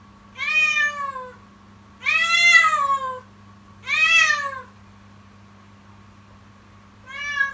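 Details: Persistent morning crying of a kitten in an unusually frightening voice: four drawn-out, plaintive meows, each about a second long with an arched pitch contour, separated by short pauses, faint constant hum underneath.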